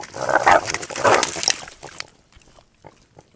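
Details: On a hot night in the Arizona desert near Tucson, a group of javelinas, including mothers with babies, argues over room in an undersized critter pond. A trail camera caught it. Two loud, grating, snarling bursts come in quick succession, then the scene drops to near silence with faint clicks.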